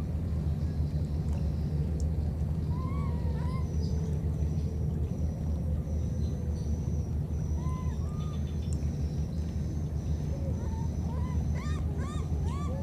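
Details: Wild baby monkeys, a pair split apart by floodwater, call to one another with thin rising-and-falling whistled coos, sparse at first and bunching into a rapid run near the end, all above a constant deep droning rumble.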